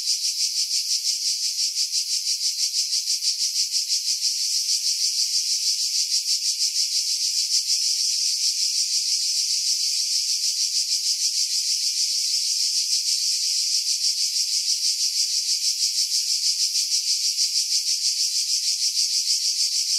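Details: Unbroken high-pitched cicada song from pine woods above the sea at Pefkos Bay, Skiros, Greece, July 2018; intense rasping hiss with fast even pulsing throughout, wind noise filtered out, recorded with a Sony RX3 and external mic.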